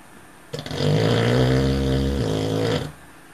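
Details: A male Cocker Spaniel snores and dreams, giving one long, low, rumbling snore with a rough buzzy tone.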